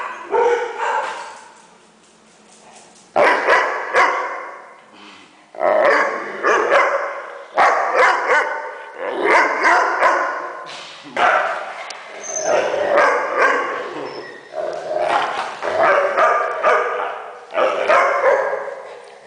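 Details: Weimaraner making funny noises, a dog producing repeated loud groaning, grumbling barks in bouts about every two seconds after a quiet start, each burst rough and uneven, sometimes with a brief squeaky note.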